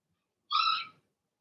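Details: Cavalier King Charles Spaniel puppy, one of six Blenheim puppies from Remy's first litter in the puppy pen, gives a single loud, sharp, half-second yelp-like bark, harmonically rich and slightly falling, in an otherwise quiet room.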